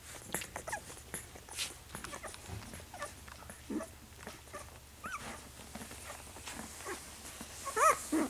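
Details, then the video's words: Nursing puppies just two weeks old huddle against their mother. Steady smacking suckling noises run throughout, broken by brief soft whimpers and a sharp, rising squeak right at the close. "Precious sight: 2-week-old puppies nursing"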